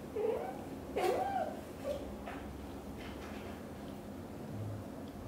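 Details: British Shorthair kitten first leaving the nest, watched and followed by its nervous mother; a few short, soft meows in the first two seconds, then quiet indoor background.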